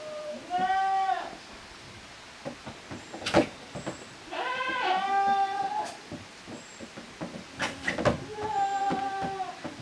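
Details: Goat kids, the offspring of Koharu and Okayu, playing in two teams in the exercise yard at a handmade goat farm in Japan, 13 June 2023; several high, harmonic wavering bleats with clattering and thumping between calls.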